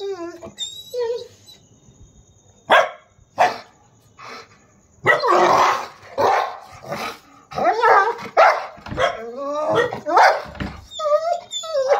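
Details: Aggressive, angry Rottweiler barking in loud, harsh bursts, a few isolated barks followed by a dense run of rapid barks, with human speech mixed in between.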